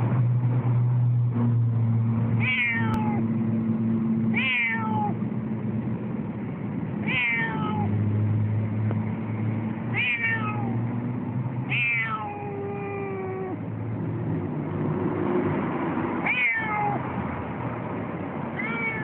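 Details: Zen, a Siamese cat, complaining loudly and persistently while waiting at a tram stop on the way to the vet; drawn-out falling meows roughly every two to three seconds over a steady low rumble of street and vehicle noise.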